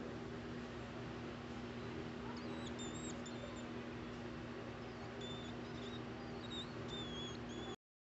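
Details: Tiny squeaks from a ten-day-old baby hedgehog with hiccups: a run of short, piercing, high whistles, some rising or stepping up in pitch, repeated irregularly over several seconds against a constant low hum.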